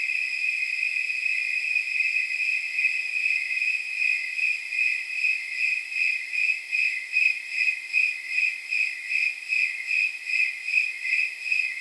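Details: On a warm night of about 79 degrees, snowy tree crickets give regular, clear-pitched chirps. The pulses grow sharper and more distinct later on, repeating a little over once a second, like soft jingle bells.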